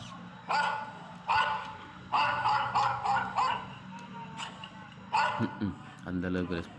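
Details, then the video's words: Labrador Retriever barking repeatedly: a run of short, harsh barks in quick bursts, with some close together, a few louder yaps near the end, and background music and voices. "Dog Barking"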